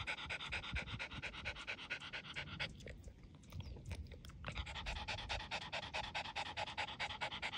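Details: A dog panting in fast, regular breathy bursts, a brief pause near the middle where the breathing softens, then the quick rhythmic huffing resumes strongly, with low background rumble throughout.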